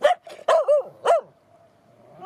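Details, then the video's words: A female Finnish Spitz on a very windy, cold April early-morning walk on rocky coast at Sjöbacka near Fiskebäck, Gothenburg, Sweden, gives four quick yelping whine-barks, complaining because she isn't allowed to swim. "Finnish spitz demands to swim"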